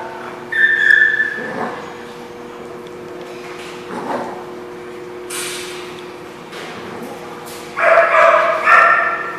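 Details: Dog recorded on 17 June 2016: short, muffled barks near the start and again a few seconds later, then a louder, higher yelping burst toward the end, all over a steady low electrical hum.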